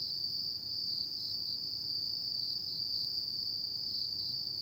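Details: Autumn night insects produce a sustained shrill trill, high and steady, with a gentle pulsing grain and no breaks. A faint low background hum accompanies it.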